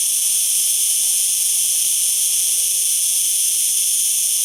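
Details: A singing cicada gives a constant shrill, sizzling buzz at even loudness throughout, with no breaks and nothing else heard.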